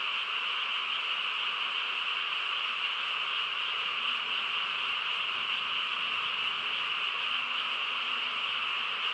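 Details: Countryside night frog chorus, calm and still: countless callers merge into a continuous shimmering drone that never pauses, holding an even level for the whole stretch.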